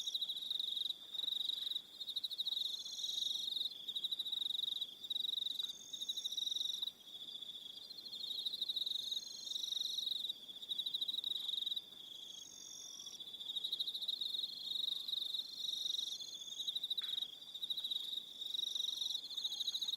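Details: A New Zealand evening on Aroha Island with a continuous shrill cricket chorus held at one high pitch. Intermittent bursts of even higher chirps overlay the drone, dipping briefly in loudness near the middle.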